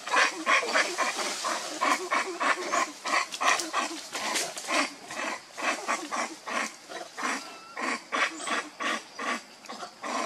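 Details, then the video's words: Baby monkey Lucie, hungry and crying for milk while foaming at the mouth, gives a rapid series of harsh, pulsing cries, about three per second, steady through the whole stretch. "Lucie Very Pitiful Need Milk Crying foaming At The Mouth I Lovely Baby Monkey"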